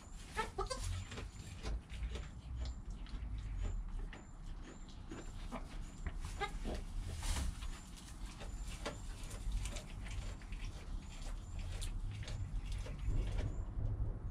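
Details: Newborn goat kid named Joel, within an hour of his birth beside his calm mother Penny, recorded on a GoPro; a few short, harmonic bleats near the start, then scattered clicks and rustling over a steady low rumble.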